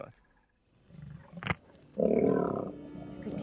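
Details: Wild lions of the Majingilane coalition brutally attacking a Mapogo male in Sabi Sand; after near silence and a sharp crack, a deep rasping growl-roar erupts and holds for over a second, then fades under quieter rumbling.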